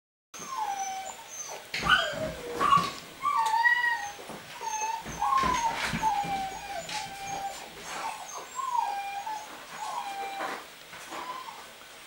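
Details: Rhodesian Ridgeback puppy Makao Line Kiss Crimson, light-green ribbon, born 9 September 2016, from a Russian kennel. Gives thin wavering whines that slide and wobble at a steady mid pitch, repeated through the clip amid handling clicks and rustles.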